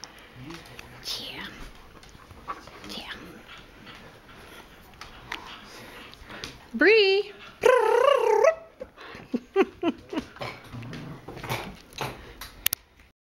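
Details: Breezy, a female collie, fluffy and playful after her bath, near cocker spaniels Cisco and Lucy; after a person calls her name, a loud drawn-out wavering howl-like cry, then short sharp yelps and talking indoors.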